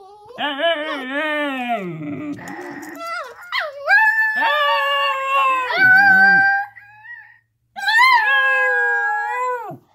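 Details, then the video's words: Two Alaskan Klee Kai, Kona and Kaipo, in a howling session: rich, harmonic howls that waver, then slide and swoop in pitch, with overlapping voices, a brief pause, and one final high falling howl. "Kona and Kaipo howling"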